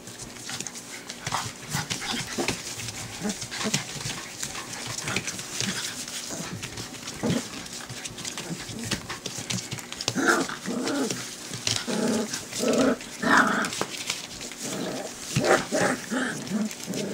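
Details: Four-week-old white Golden Retriever puppies, trying out their first barks while playing happily, give squeaky, high yelps and little whining barks over rustling and shuffling.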